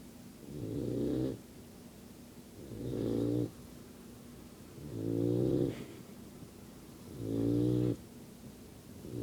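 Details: Sleeping yellow Labrador Retriever puppy snoring: four steady, low, buzzy rasping breaths, each lasting about a second and a half and coming roughly every two and a half seconds, with quiet pauses between them.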